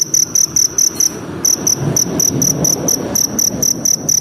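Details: Forest cricket producing bursts of high ringing chirps in short groups with brief pauses between them, over a noticeable low background murmur.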